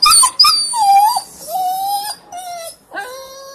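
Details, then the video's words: Berry the dog crying: drawn-out, high, wavering whines, each held for about half a second to a second, dropping slightly in pitch, with short breaks between. "Berry the crying dog"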